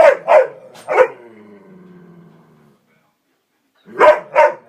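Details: Playful, excited pet dogs, three of them, indoors shortly before a walk: clusters of loud sharp barks, a rumbling growl trailing off, a brief silence, then two more barks.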